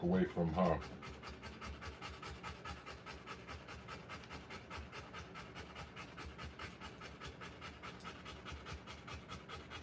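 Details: Rottweiler mother during the live birth of puppies, panting quickly and steadily after a short burst of human voice at the start.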